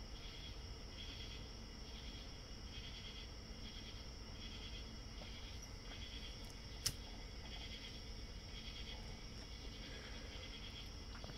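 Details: Real cicadas outside a window, picked up by a microphone behind a curtain and amplified, sing a steady, high, shrill buzz over a softer pulsing drone; distant dogs nearby. Cicada.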